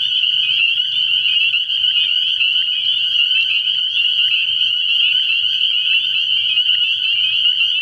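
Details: Early-spring frog pond at night, packed with spring peepers whose piercing high calls fuse into a constant, slightly pulsing wall of sound over a faint low droning tone.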